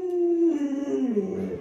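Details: Luoluo, a household Alaskan Malamute, produces a short mournful howl, a steady note that breaks and wavers downward in pitch over under two seconds.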